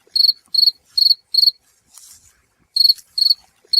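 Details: North American cricket giving shrill, even chirps of several rapid pulses each, spaced roughly every 0.4 seconds, pausing once for about a second amid a soft hiss before resuming.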